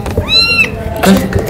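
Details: Thirsty kitten asking for its mother's milk; a single high, drawn-out meow rising then falling, followed by a child's voice, with background music.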